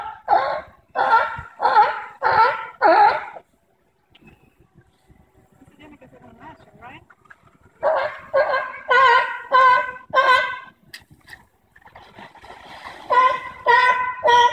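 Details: Sea lions at the Bronx Zoo, recorded live on September 5, 2014, giving series of loud, rich, honking barks about one per second, broken by quieter stretches of faint background noise.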